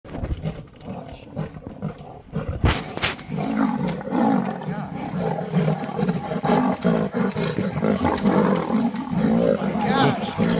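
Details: Two lionesses up a tree fighting a male leopard over an impala kill at Sabi Sand Nature Reserve; loud rasping growls and roars in rapid irregular bursts, with excited voices of people watching.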